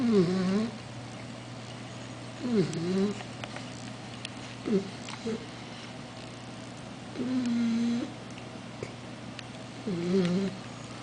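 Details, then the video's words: A sleeping 4-month-old Basset Hound puppy, held in his owner's arms, snores in squeaky, whining tones that bend up and down in pitch. "Baby Basset Hound - Roscoe snores!"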